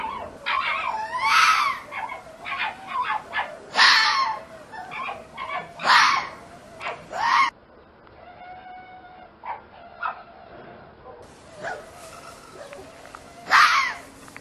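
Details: Fox heard at night with a series of shrill, piercing yips and screechy cries spaced a few seconds apart, a softer stretch of faint, tonal whimpers in the middle, then one last sharp scream.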